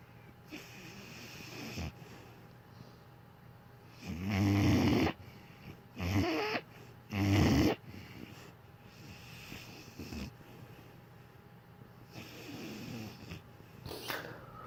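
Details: Sleeping dog snoring indoors: three loud, deep, rasping snores at intervals of about two seconds in the middle stretch, with softer breathing and faint snuffles around them.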